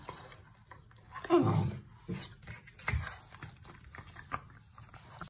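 A Vizsla puppy gives a brief, squeaky whimpering yelp, then a softer low grunt.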